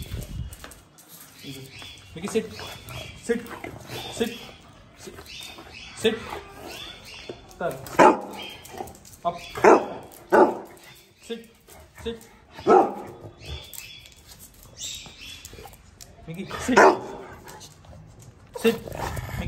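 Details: Micky, a pet Pug, barks during play and training at home. Short, sharp barks come singly and irregularly, several seconds apart, amid a person's repeated spoken commands to sit and lie down.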